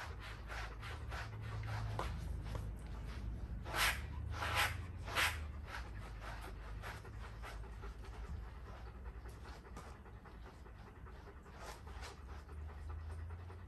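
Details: A Golden Retriever pants steadily while being brushed, breathy rasping puffs coming roughly every half second, with a few louder bursts near the middle before the pace settles and softens.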